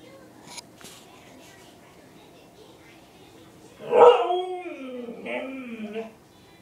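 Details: Siberian Husky complaining with a howl: after a quiet start, a loud wavering, tonal cry bursts out near the four-second mark, sliding downward over about two seconds, then a shorter rising-and-falling note follows before fading.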